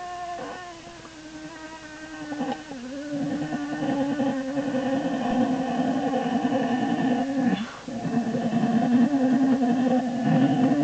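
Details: American black bear in Lily's den, January 27, 2012, making a continuous, throbbing, buzzy harmonic drone that pulses rapidly and slowly grows louder over ten seconds, with a brief dip midway.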